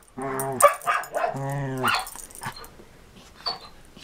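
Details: Play between Marco Polo, a six-year-old Samoyed, and Cisco, a Border Collie, in 2014: two short groaning growls with a snappy bark between them, then fading scuffling sounds.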